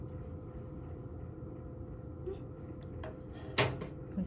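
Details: A steady indoor hum runs throughout, then a few knocks and a bang like a cupboard door closing, with no animal voice heard.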